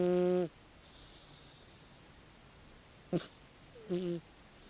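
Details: A 16-year-old calico cat asleep lets out a brief droning snore, then a quiet gap broken by a sharp snort and a second short, low snore.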